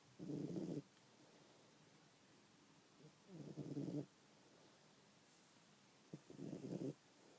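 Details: A sleeping house cat snores heavily, like an old man with sleep apnea: three rough, droning breaths roughly every three seconds, each lasting under a second, with quiet pauses between.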